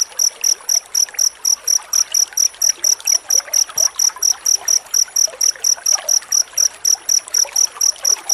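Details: Cricket chirping in dense, rapid bursts, used as a master sound to train magpie-robins to sing: high, pure trills pulsing steadily about twice per second, with a faint trickling background.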